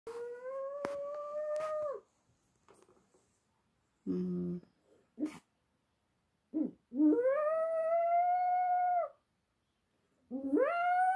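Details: Pet dog howling indoors after an ambulance passed: long steady howls rising slightly then dropping at the end, separated by quiet gaps with a short lower yelp and a few clicks between them.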